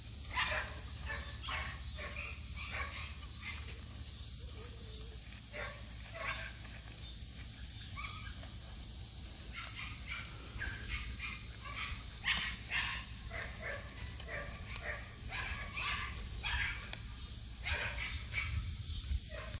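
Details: Red Standard Poodle male puppies from one litter give short, high yips and whimpers in quick, overlapping bursts over a low hum.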